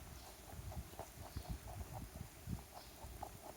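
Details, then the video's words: A backyard rabbit eats a carrot: a short burst of regular crisp crunches, about three a second, over muffled low thumps. "Sound Effect of Rabbit Eating Carrot"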